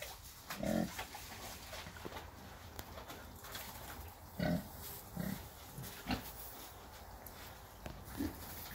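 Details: Several Red Wattle pigs, roughly six months old, give occasional short low grunts spaced a second or more apart, over a steady background hum.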